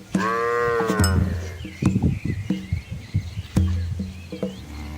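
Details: Herd of red Asian village cows with calves crossing a small flowing river in rural Asia; one short moo at the start, then low grunts, splashing and knocking sounds.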